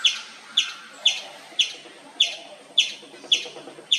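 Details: Loud, steady chirping from an Indian palm squirrel in the wild: piercing high chips repeated roughly twice a second, evenly spaced, eight calls with a soft buzzy tail after each against quiet background.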